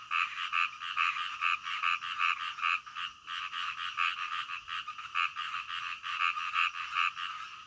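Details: Night-time frog chorus with quick, repeated croaks about two or three each second, a brief lull near the middle, then the rhythmic buzzy pulsing resumes.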